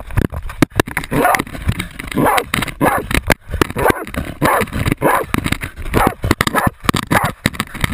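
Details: Jagdterrier Otto baying a 250 lb boar, recorded on a GoPro camera worn during the hunt; sharp, hoarse barks repeat roughly every half second over constant rustling, thumping and clattering handling noise.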